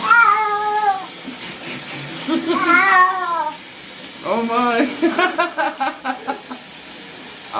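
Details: Pet cat yowling while being given a bath: long, drawn-out falling wails, a rising-then-falling cry, then a quick series of short choppy meows, with a person talking to it in the background.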